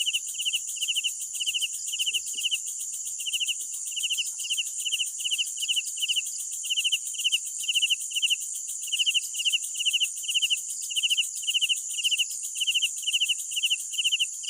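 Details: Night chorus of crickets: a loud, even series of pulsed chirps repeated roughly twice a second throughout, above a constant bright background trill of more insects.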